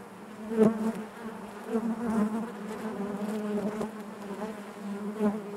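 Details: A colony of bees drones inside its hive. The steady low buzz carries harmonic layers, punctuated by short louder pulses when single bees fly near.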